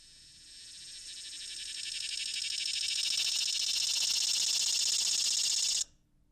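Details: Swamp cicada (Neotibicen tibicen), the common cicada of the area, song: a loud, high, rasping buzz swells steadily, holds at full strength, then cuts off abruptly.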